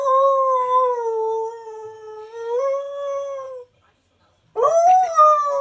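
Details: Husky/Malamute singing along to his favourite television adverts indoors: a loud, sustained, steady howl with a slight upward step near the end, a brief silence, then a sharper rising howl resumes.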